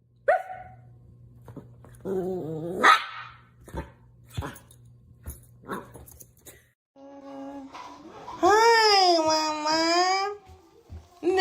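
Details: Dog indoors giving a short yelp, then a rising whine, then a long, wavering, howl-like cry lasting about two seconds, with a person speaking between the calls.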